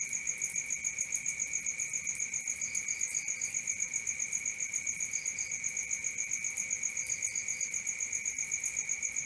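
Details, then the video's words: Steady night-time cricket chirping, rapid and regular at near four pulses a second, with a high and a lower shrill tone. Faint short bursts of quick triple chirps from another insect break in now and then. "Cricket 1 hour for Sleeping & Relaxation"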